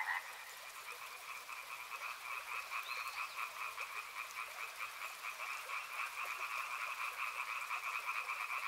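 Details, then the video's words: Frogs croak in a steady riverside chorus of pulsed, buzzy notes about twice a second, swelling slightly louder toward the end, with one brief rising whistle cutting in near the three-second mark. "Frog Sounds | Soothing sounds of river and frogs"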